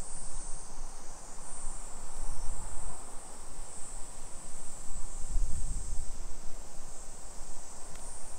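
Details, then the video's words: Japanese summer cicadas in Nisshin, about 20 km from downtown Nagoya, recorded at 2 PM on 28 July 2021; an even, high-pitched sizzling chorus persists nonstop, overlaid by deep rumble and a brief low thump midway. "Summer Cicadas Sounds"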